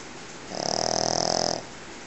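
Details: Pekingese dog snoring while asleep, one loud rasping snore about one second long with a strong buzzing tone and a high hiss, indoors.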